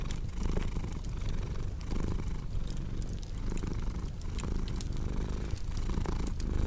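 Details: Soft, slightly quieter cat purr, a steady low rumble with gentle breath-paced swells, accompanied by a crackling fireplace's scattered clicks and pops.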